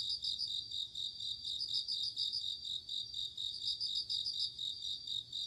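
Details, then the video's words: Bell cricket singing on an autumn night: high, ringing, bell-like pulsed trills given in short bursts roughly every second, with a steady shimmering insect chorus underneath and no other clear sounds. "鈴虫 夜の虫 虫が鳴く夜の雰囲気"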